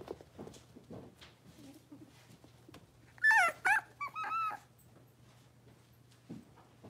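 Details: Blenheim Cavalier King Charles Spaniel puppies, a litter of five born at New Year, indoors in a puppy pen. After a quiet start, a brief cluster of high, harmonic yips with wavering pitch, then soft rustling and a steady low hum.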